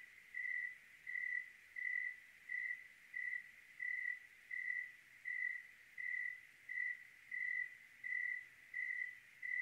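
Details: Cricket in Oregon on a clear night, giving about 14 regular chirps in under ten seconds, each short and mid-pitched, evenly spaced against a soft, quiet background.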